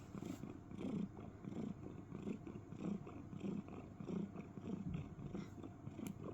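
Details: Domestic cat cuddling inside a box, making what is called cricket sounds: low, pulsing purr-like rumbles that swell and fade in a steady rhythm, roughly one or two pulses a second, with soft rustling in the background.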